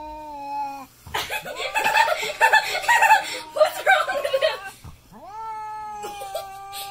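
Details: Domestic cat frightened by a custom painted goat skull mask, making long drawn-out wailing meows that bend and waver, broken by a burst of noisy rustling and human laughter, then a steady rising yowl.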